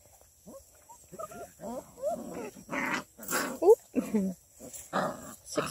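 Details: Six-week-old female Redbone Coonhound puppies from a breeder near Kingston, Ontario, Canada, busy at play: a string of short whiny yips, squeaks and rough growly barks overlapping, with a brief spoken word at the start.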